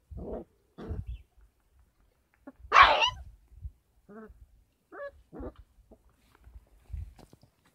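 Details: 33-day-old Kangal pups on a farm, fed supplementary goat milk. Short yips and whimpers repeat, broken by one loud, harsh squeal-bark, then softer whines and faint thumps of movement.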